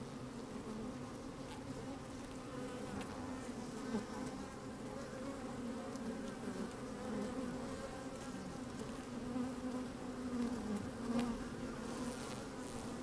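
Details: Inside an opened beehive on a sunny, slightly windy day, honey bees move about and buzz: continuous low droning hum with layered overtones, a few louder buzzes near the end, soft wind rumble below.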